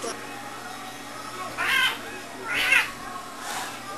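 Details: Two house cats fighting: three short, harsh yowling bursts in about four seconds, each rough and noisy, over a steady low hum.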